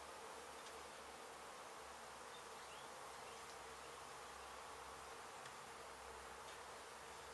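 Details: Honey bees from a hive in an abandoned home being demolished in Mission, Texas, after construction crews struck it, during a rescue and relocation; a steady, dense, even hum-like buzz fills the whole stretch without a break.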